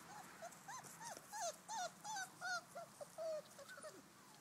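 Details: Five-week-old Bouvier des Flandres puppies playing with their mother in a garden: a rapid series of high, arched whines and yelps, about one or two each half second, some rising then falling, over faint outdoor background.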